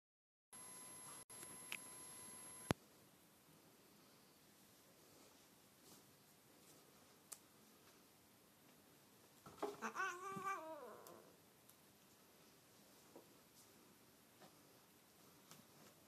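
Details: Pet cat Pinky de Po, angry while playing with a rope indoors, gives one short wavering, harmonic-rich yowl lasting about a second and a half, mid-recording, set amid near silence with occasional faint clicks and knocks in a quiet room.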